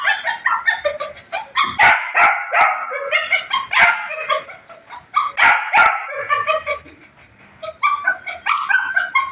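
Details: Puppy giving a run of high, harmonic yips and whimpering squeals, bunched in bursts with sharp clicks and brief pauses between them.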